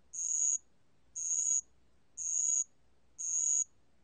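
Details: A ground cricket (Korean 알락방울벌레) sings high, shrill half-second trills, repeated about once every second, in a 2020 recording.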